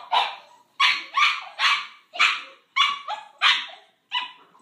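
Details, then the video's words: Boxer puppies Paizley, a female brindle, and Pepsy, a male fawn, siblings born February 2014, argue over a pig ear in Bonney Lake, WA; high yappy barks and whiny yips burst out in quick succession, about seven in under five seconds. "Pig Ear Argument - Paizley & Pepsy - Boxer Puppies"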